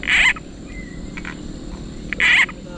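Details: Several bullfrogs calling at a frog-fishing spot; two loud harsh rasping bursts, one at the start and one near the end, with a faint thin whistle and low background hum between.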